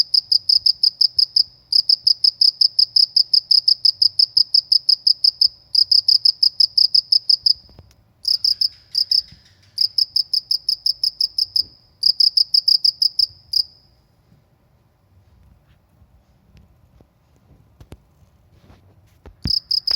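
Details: In a rural setting, a cricket chirps high and shrill about three times a second in bursts with short breaks, then falls silent for several seconds before resuming at the end.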